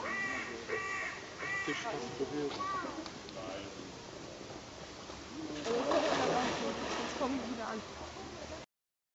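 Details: Sea lions at Wuppertal Zoo in September 2011 give hoarse, nasal, honking barks in quick runs of two or three, then a louder, rougher outburst, with human voices murmuring underneath throughout.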